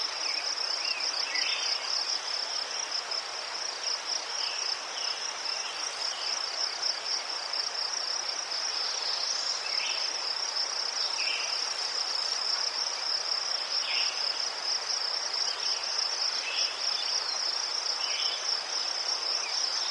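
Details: Crickets chirping in Ukraine, a steady high-pitched trill held without break throughout, with faint softer chirps drifting beneath it.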